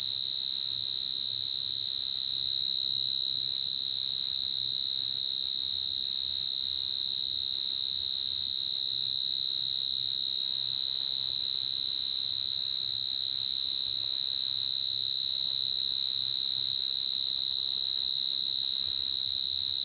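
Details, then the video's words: Several coconut crickets crying: a steady, piercing high-pitched buzzing trill held without a break for the whole stretch, very regular and evenly pulsed, with faint low rumbling beneath. "Crying coconut crickets សត្វចង្រិតដូងយំ"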